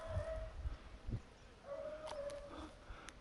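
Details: Beagle hunting for a lost hare on 19 October 2022, giving two drawn-out, steady mid-pitched howls, the second longer than the first, over faint rustling, with a sharp knock at the very end.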